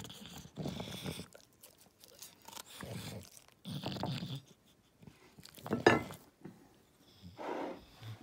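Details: An English Bulldog, offered food such as carrot and banana, chews and crunches in bursts with wet smacking, snorty breaths and snuffling between bites, and a person's voice is heard briefly.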